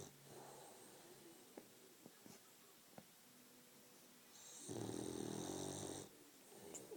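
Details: French Bulldog snoring: a single rasping, broadband snore lasting over a second near the end, after a quiet stretch with a few faint clicks.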